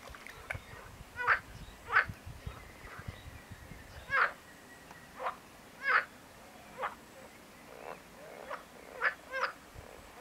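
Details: Marsh frog calling, a series of short rattling croaks with pulsed bursts, irregularly spaced about every half second to a second, some overlapping from other frogs, with faint low rumble in the background.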